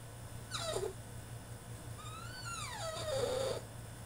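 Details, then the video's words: French Bulldog throwing a tantrum in his cage: two drawn-out whines with rich harmonics, one short and falling, the second starting high, sliding down and holding a tone, over a steady low hum. "FRENCH BULLDOG THROWS TANTRUM IN HIS CAGE!!"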